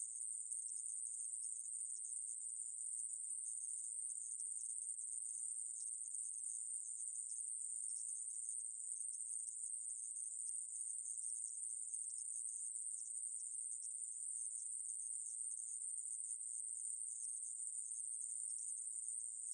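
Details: Conehead katydid (애매부리), recorded for Korea's National Institute of Biological Resources in 2020. A steady, unbroken high-pitched buzz holds without pause for the whole stretch, with no other sounds.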